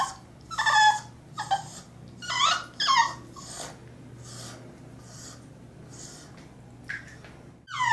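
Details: A 3-month-old female French Bulldog puppy fights the bath tub, bath robe and her bully stick, giving short, strained whimpers and yelps in bursts with a low hum behind.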